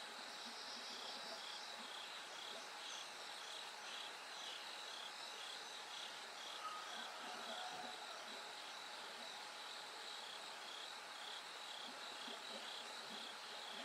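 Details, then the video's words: Night chorus with bell crickets, the darkness slowly giving way to light: continuous high pulsed ringing notes over a broad insect hiss, and a few soft low thumps and murmurs midway. "bell cricket Cry of falling insects"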